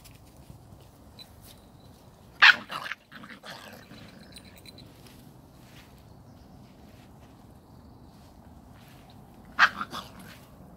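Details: Samoyed puppies of the A litter from Arctic White Cherry, 39 days old: two short, sharp puppy barks about seven seconds apart, each with a brief trailing yelp, otherwise a quiet room with faint rustling.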